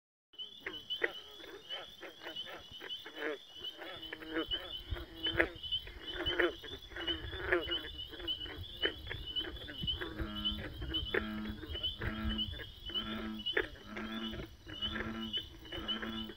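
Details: Many frogs croaking together in a dense, continuous chorus of rapid rattling pulses, with repeated low grunting croaks standing out toward the end and a steady high insect-like whine running underneath.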